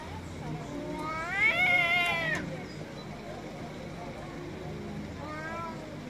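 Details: Angry domestic cat meowing loudly: a strong, strained meow that climbs and then cuts off, followed a few seconds later by a shorter, fainter meow, with low background murmur.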